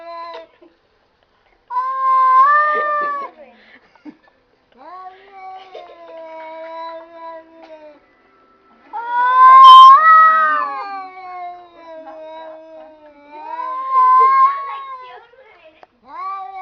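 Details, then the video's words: Cats talking in a series of long, moaning yowls, each a few seconds long with wavering, slightly rising pitch; the loudest swells near the middle, with quieter pauses between calls. "cats talking"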